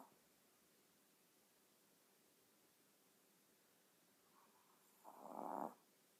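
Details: Snore from a sleeping Chihuahua: a soft lead-in, then one louder raspy breath near the end after a long quiet stretch.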